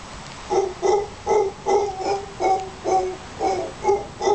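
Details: Howler monkeys at Playa Junquillal, Costa Rica, near Casas Pelicano, producing a steady train of deep, guttural grunts, roughly two per second, each hoarse and resonant with a clear harmonic tone, over quiet background.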